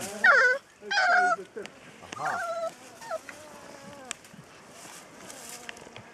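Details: Newborn Rhodesian Ridgeback puppies from Ridja's litter of ten let out two shrill, high squeals close together, then scattered shorter whimpers and squeaks that fade into quiet.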